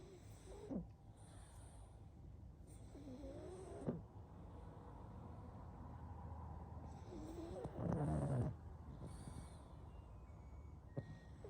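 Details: Slumbering pug giving short wheezy squeaks and snuffles, then a longer coarse, rattling snore midway, with soft nasal breaths throughout over faint room hum.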